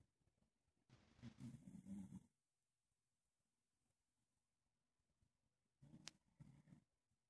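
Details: An English Bulldog snores softly while falling asleep with his chin resting on a person's leg, low rumbling breaths separated by quiet pauses.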